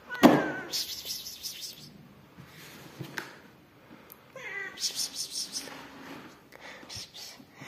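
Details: Rescued yellow mother cat Amarilla with her newborn kittens; a loud, harmonic meow opens, then a second drawn-out mew with falling pitch around the middle, among thumps, handling noise and soft voices indoors.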